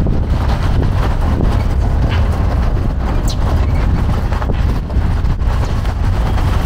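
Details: Steady low engine rumble and wind buffeting the microphone, with no animal calls.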